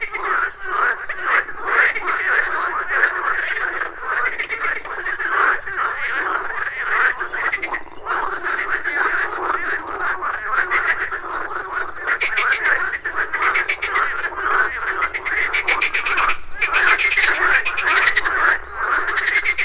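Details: Pond frogs at morning in full chorus: overlapping raspy, rapidly pulsed croaks run continuously, some rattles standing out above the steady mass of calls.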